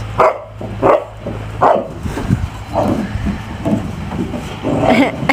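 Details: Six-year-old male mastiff playing with a six-month-old boxer puppy; a series of short, harmonic bark-like vocalisations about every three-quarters of a second, mixed with lower growly grumbles and a steady low hum.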